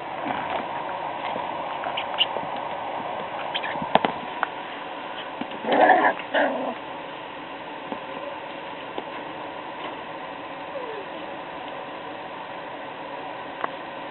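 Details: Puppies playing indoors: one short burst of whimpering, yelping sound partway through, with scattered soft clicks and taps in an otherwise quiet room.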